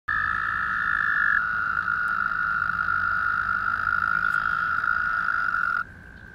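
American toads give long, steady, high musical trills that overlap at slightly different pitches.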